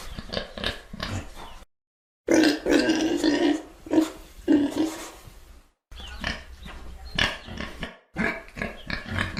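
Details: Pig noises in choppy bursts separated by abrupt silent gaps: harsh grunts, and one drawn-out tonal squeal that wavers for about two seconds in the middle.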